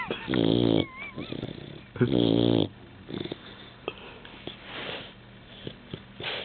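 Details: Sleeping Labrador Retriever named Rowdy, new to the household, gives two loud, raspy snores in quick succession, each rough and droning, followed by quieter breathing, snuffles and faint room noise.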